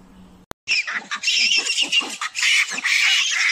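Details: Young macaque with its head stuck, screaming for its mother to come and save it: a sharp click, then harsh, noisy, high-pitched screams in broken bursts that grow into a continuous shriek.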